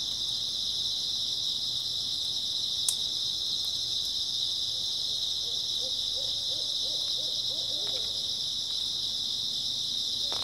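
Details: A steady high-pitched insect drone from grass insects fills an early autumn night; midway a soft, low, rapidly pulsing hooted series rises and fades, and one sharp knock sounds near the start.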